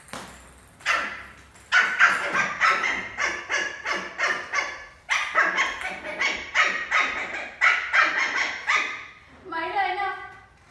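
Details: Milo, an adopted Lhasa Apso puppy, playing doggy cricket indoors: runs of quick, sharp, high yappy barks in several bursts, pausing briefly between them, ending with a short wavering whine-like tone.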